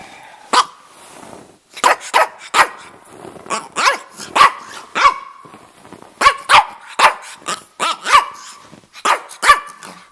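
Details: Dense sequence of short yappy barks and growly yips from Stanley, a male red rough-coated Brussels Griffon aged about two and a half, living in Miami, talking in quick irregular bursts.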